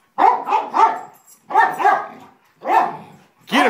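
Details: Dog barking in a play fight, an elder basset mix defending against a young golden retriever: bursts of loud, harsh barks, three in quick succession, then two, then one, then another starting, with no other sounds between.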